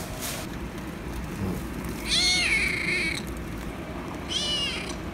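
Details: A kitten that has just attacked a cat gives a drawn-out, bending meow around two seconds, then a shorter, softer meow near four and a half seconds, over a steady background hiss.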